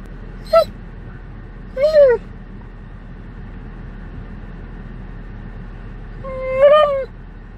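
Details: Three separate whining calls from an Alaskan Malamute riding in a vehicle during a road trip: brief rising-falling moans with long quiet gaps, set against a steady drone of road noise.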